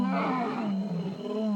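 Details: At night in Botswana, a male lion gives a deep, rumbling roar to tell other lions this is his turf, with extra force because he is with a mating female.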